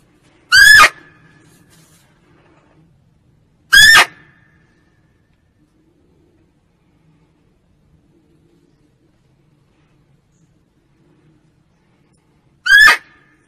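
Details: A female barking deer gives loud, short, harsh barks spaced several seconds apart, a call used as a hunting lure.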